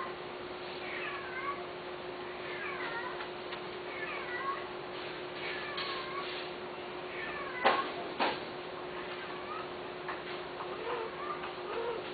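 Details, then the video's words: Domestic cats offered for sale giving a run of short, arching meows that rise then fall, several in quick succession, over a steady electrical hum, with two sharp knocks near the middle. "قطط للبيع"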